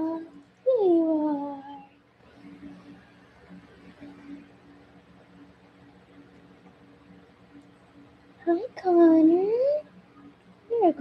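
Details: Cavalier King Charles Spaniel puppies Cooper, Conner, Reggie and Jenny, Ruby and Blenheim coats, born 06/09/2022, filmed overnight on 8/15/22 indoors: two bouts of high, wavering whines rising and falling, separated by quiet, over a steady low hum.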